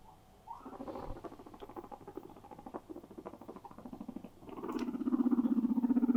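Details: Pet guinea pigs at play indoors, one calling for attention: a low rapid pulsed purring chatter that swells louder toward the end, with soft scattered squeaks and patter.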